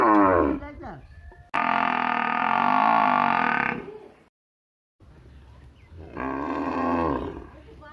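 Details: In a village, cattle or buffalo give two drawn-out, nasal moos. The first is loud and lasts about two and a half seconds, and the second is somewhat softer and shorter. A brief pause of near silence separates them.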